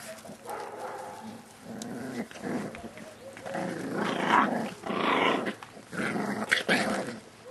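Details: Thirty-eight-day-old Staffordshire Bull Terrier puppies from litter K, Staff Komas kennel, 20 September 2010: rough, rasping growls in repeated bursts of about a second, rising and falling in loudness, with a brief squeal in the middle.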